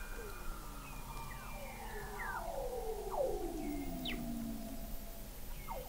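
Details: Several Weddell seals calling beneath thick sea ice, McMurdo Sound, Antarctica, November 2017, observatory 21 m below the ice: a dense chorus of layered downward-sliding whistles and chirps crossing one another over a hissing background.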